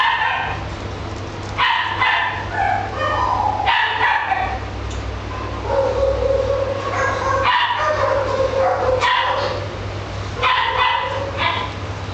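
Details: Italian Greyhound repeating quick yelping calls that stretch into short sustained howl-like tones, several bursts in quick succession over a persistent low background hum.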